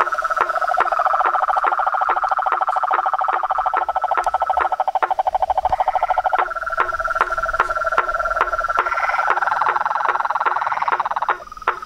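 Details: Frogs and toads in full chorus, several overlapping trilling voices at different pitches with a steady train of quick knocking calls running through the whole stretch.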